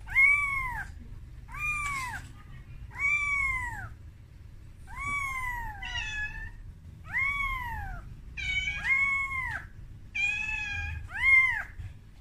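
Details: Kitten Momo cries for mother Amora, afraid on its first trip outside its room; a rapid run of about ten piercing arched mews, some doubled or overlapping, spaced near a second apart.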